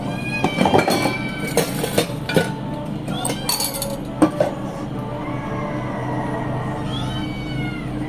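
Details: Male domestic cat meowing in a kitchen, asking for milk; several drawn-out, wavering meows over a low background hum, mixed with clinking dishes and faint music.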